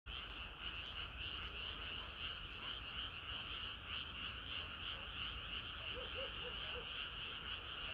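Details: Frogs singing together on a hot summer night, a dense unbroken chorus of rapid high trilling croaks, many callers overlapping, with a few lower pulsed notes near the end.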